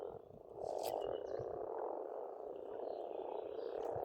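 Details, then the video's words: A spring pond in Estonia rings with massed frog croaking, a steady low chorus that jumps up after half a second; faint bird notes and a few sharp clicks sit on top. "Расслабляющее пение птиц и лягушек, весна, природа."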